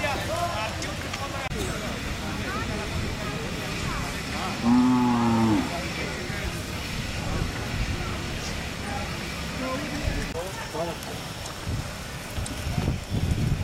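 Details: Hallikar calves brought by Baraguru farmers to the Ghati jathre cattle fair in 2020; one short, low, steady moo lasting about a second, surrounded by crowd chatter, background bustle and passing vehicle noise.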